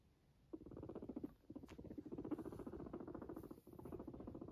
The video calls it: the purring of a guinea pig